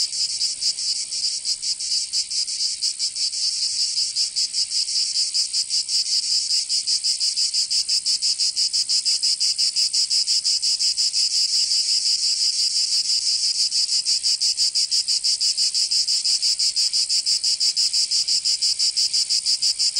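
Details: Cicadas singing in summer in Provence, southern France: a loud, dense, high buzzing chorus pulsing rapidly and evenly, about three throbs per second, unbroken across the whole stretch.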